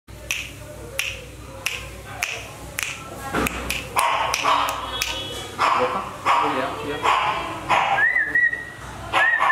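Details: A German Shepherd puppy in Jammu and Kashmir cries in thin, high whines that rise and dip between sharp tapping clicks.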